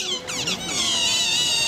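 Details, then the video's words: Otters screaming at Berlin Zoo: a shrill, high, sustained squealing scream with stacked harmonics, briefly broken then continuing steadily for nearly two seconds, with a person speaking quietly nearby. "screaming otter / schreiende Otter"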